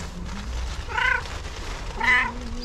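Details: Female pet cat giving two clear, tonal meows about a second apart, each a rounded rising-then-falling cry, near breakfast time, with a low steady hum beneath.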